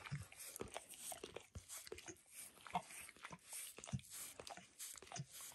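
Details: Dog licking and grooming itself indoors, working over its paws and then a person's foot, shin and knee; wet smacking laps at an irregular rhythm of roughly fifty per minute in a small room, no talking.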